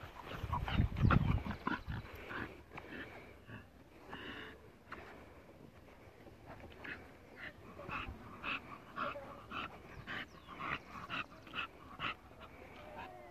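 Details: American Bully at a Colombian kennel, ÁTOMOS BULLS, making hoarse, rapid panting bursts after a loud low rumble near the start, the huffs quickening and staying steady through the rest.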